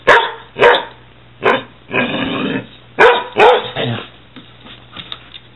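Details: Two dogs, a 6-month-old Weimaraner and a 6-year-old Catahoula, playing rough indoors: loud broad barks and a harsh growling stretch, then softer fading sounds.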